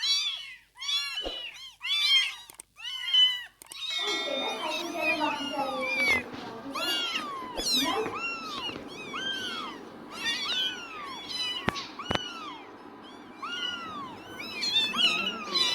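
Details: Newborn kittens in their first two weeks keep up high arched meows while a low rumbling background, clicks and human activity sounds join from the fourth second onward.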